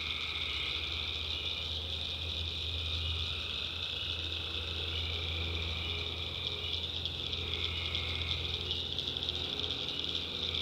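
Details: Tree frogs calling at night in the backwoods of North Carolina, a dense continuous chorus of high trilling voices layered in bands, with a steady low hum underneath throughout.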